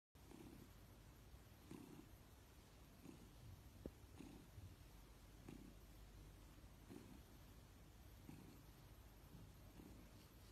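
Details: A domestic cat purring steadily: a low rumbling murmur that swells in soft pulses roughly once every second, each breath cycle clearly marked, over a faint constant hiss with no other voices.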